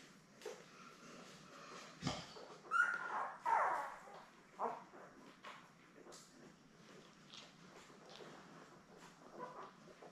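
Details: Newborn Labrador Retriever puppies, seven born May 24, 2021, indoors with their mother Belle on a live puppy cam on June 3; a couple of thin, high whining squeals rise midway, amid soft rustling and shuffling.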